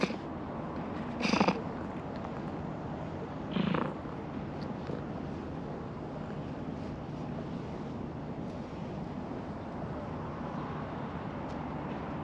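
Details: Stray calico cat at a fishing port, having climbed down from a net, asking to be patted on the lower back; a steady low continuous purr throughout, with two brief louder bursts of rustling early on.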